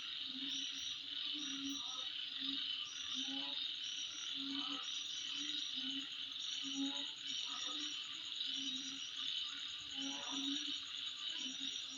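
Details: Steady high-pitched insect droning at midnight, with repeated clusters of sharp, bright chirps and regular low croaking pulses in the background throughout.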